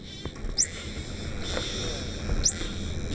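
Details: Common dolphins, a highly social species, gathered and split into groups with a net, give contact calls far more often than usual: two brief, high whistles sweeping quickly upward, about two seconds apart, over a steady hiss.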